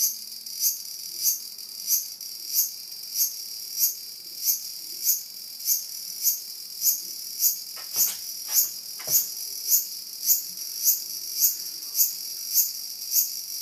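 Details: Cicada faced by two whippets poised to attack, its shrill continuous buzz rising into regular pulses roughly every 0.6 seconds, with a few brief clicks or knocks partway through.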